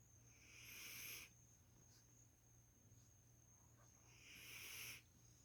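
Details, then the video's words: Snoring female Labrador Retriever: two hushed, rasping breaths roughly three and a half seconds apart, swelling and then cut off, in a still indoor setting with a faint steady high whine. "Cachorra roncando!"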